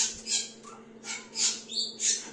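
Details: Tiny rescued baby squirrels, a few days old, hairless and eyes closed, found fallen beneath a pine tree in Tahitótfalu, Hungary, late May 2023, now in an incubator; harsh, hissy high squeaks burst out roughly every half second above a constant low hum.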